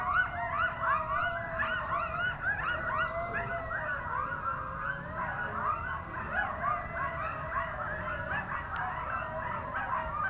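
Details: Three coyotes close by at Rowlett Creek, a wild area beside new houses, recorded from a car, chorus together with wavering high howls tangled with quick yips and barks.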